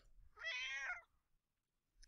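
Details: A domestic cat gives a single clear meow, harmonic and vowel-like, lasting about half a second, articulated with an opening-closing mouth gesture; meowing is a human-directed call for attention or help.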